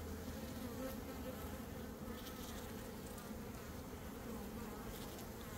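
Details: Honey bee swarm being caught by a beekeeper, one of two swarms that day, in early May. A dense, even buzzing drone with a strong low hum holds steady from start to finish, with no other sounds.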